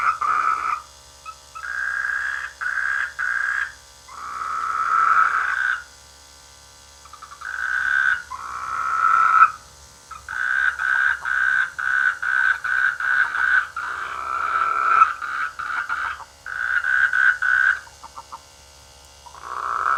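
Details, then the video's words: In rice fields by a village in the rainy season, frogs keep up a busy chorus of grating croaks, some drawn out, others in fast rattling series, with barely a pause between bursts over nearly the whole stretch. "The sweet sound of frogs in the rainy season"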